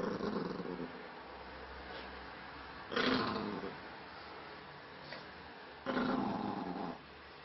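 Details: Spiky, an angry Maltese dog, growls indoors in three rough, rumbling bouts of about a second each, spaced roughly three seconds apart, with quiet pauses between them.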